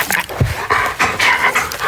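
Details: A female German Shepherd, a heavy breather, gives short, abrupt hiccups between bouts of heavy, breathy panting.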